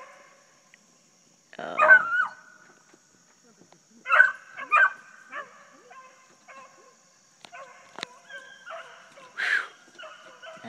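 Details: Dogs chasing deer on a hunt, heard in scattered bursts of baying and short yelps with quiet gaps between them. Several calls sound distant, and a faint high steady tone lingers in the background.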